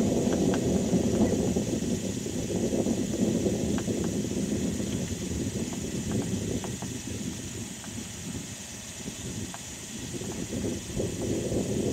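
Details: Steady low rumble of wind and surf with faint scattered clicks, and no clear animal calls.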